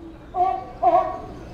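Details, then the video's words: At Sea Life Park in Honolulu, Hawaii, a sea lion in the background gives two short, tonal barks in quick succession, heard from a distance. "Yeah you can hear the sea lion back there barking"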